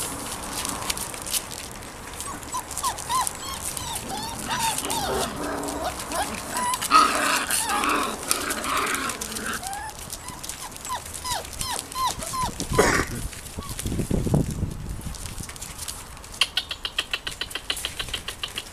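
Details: Litter of Irish Terrier puppies making many short, thin squeaky yips in quick overlapping bursts, rising and falling in pitch, with a louder rustling thump midway and rapid clicking taps near the end.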